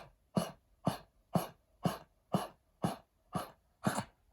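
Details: A senior Pekingese coughs in a steady run of harsh, hacking bursts, about two each second, a cough that began after heartworm treatment, attributed to lung damage from the disease and treatment.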